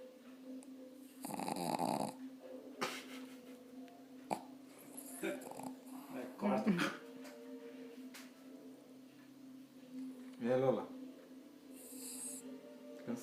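A pug snores with rough, snorting breaths over a low steady hum while people talk softly.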